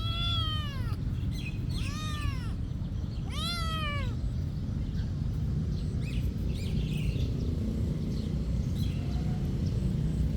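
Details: Cat at a monastery giving three clear, arched meows in the first four seconds, each rising then falling, followed by quiet with only a steady low rumble of background noise.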